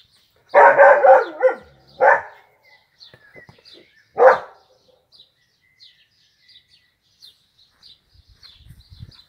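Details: Dachshund Peanut, a pet dog at play with a football, lets out a quick burst of barks, then two single barks, followed by quiet with faint clicks and tapping.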